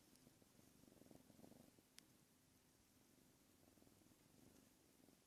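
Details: Young female cat, six months old, indoors while playing with the camera; a soft, low, rhythmic purr rises in pulsing bursts early and again near the end, with a single sharp click partway through.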